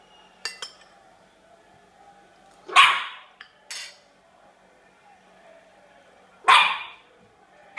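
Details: Sealyham Terrier named Pinot giving two sharp, loud barks about four seconds apart, with a few faint clicks and a soft knock between them in an otherwise quiet room.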